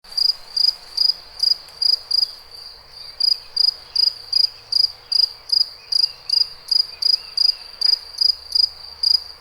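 A cricket gives short, high chirps in a steady run, about two to three each second.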